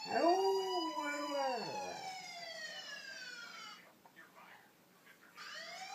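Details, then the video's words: A male Alaskan Malamute howls at passing sirens, giving two arching, wavering howls that rise and fall in pitch. A long descending siren wail follows, then background noise, with a faint voice and another siren at the end. "My malamute howling at sirens"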